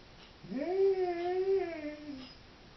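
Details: A Doberman bitch left home alone indoors gives a single tonal howl lasting about two seconds, rising and then gently wavering before sliding down at the end.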